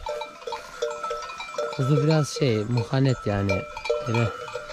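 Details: Akkaraman sheep lambs, newly separated from their mothers, calling for them: a run of wavering, harmonic bleats in quick succession over a steady tinkling of bells, with a faint human voice nearby.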